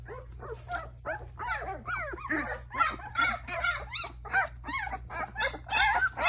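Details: Baby Newfoundland puppies whimpering and yelping, a busy overlapping chorus of high, rising and falling whines repeated more than twice a second, with a steady low hum underneath.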